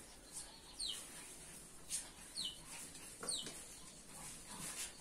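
Chow Chow puppies give thin, high squeals that slide downward, scattered every second or so.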